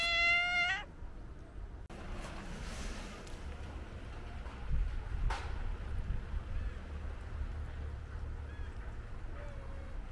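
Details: White stray cat being petted gives one short, clear meow with stacked harmonics at the start, then falls quiet while soft rustling and handling noise continue.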